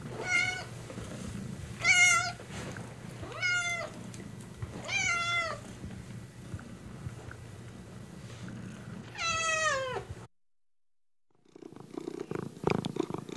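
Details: Kittens giving a run of high, bright meows, roughly one every one to two seconds, each a sharp rise and then a slide down. A brief silence follows, then soft rustling and handling noise.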